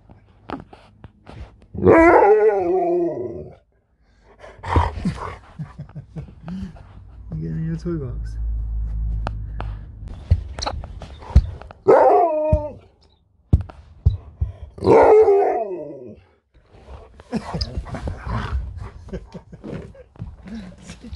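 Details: Alaskan Malamute talking at home, drawn-out howling moans with wavering, sliding pitch in several bouts, a person speaking to the dog between them.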